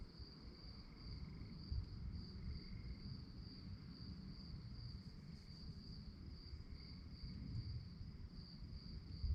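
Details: Crickets singing at night, a continuous shrill beating chorus throughout, a softer lower trill coming and going, over deep rumbling noise with a few low thumps.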